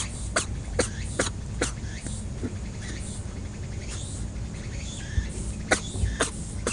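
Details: Sneezing rabbit on Okunoshima, Hiroshima Prefecture, Japan, an island home to over 900 rabbits. Quick, explosive sneezes come in uneven runs, some close together and some after pauses, with low rumble and faint rustling behind.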